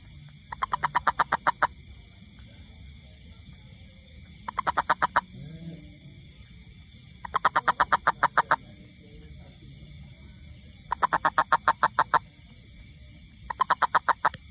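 A toad gives short bursts of rapid, rattling pulses, repeated every few seconds.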